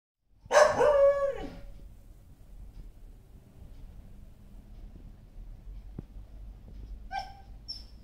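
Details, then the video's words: A Samoyed dog gives one loud, brief howling cry that slides downward in pitch over about a second. A quiet hum follows, and a short higher yelp comes near the end. "samoyed howl"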